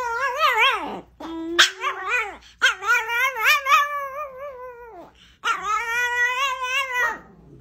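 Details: Chihuahua, a female, upset with her fellow household dogs, indoors in a small room: drawn-out, wavering whines and yowling barks with rich harmonics, rising and falling in pitch, in several bursts separated by short pauses.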